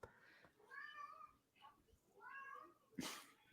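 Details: Domestic cat meowing indoors after hearing a squirrel moving in the attic, staring at the ceiling. Two quiet, drawn-out harmonic meows, each rising then falling, about a second apart. A sharp knock comes near the end, with a low room hum.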